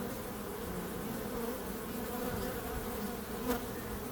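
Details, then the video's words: Steady drone of buzzing bees, humming low and unbroken, with a single sharp click late on. "Bees Sound"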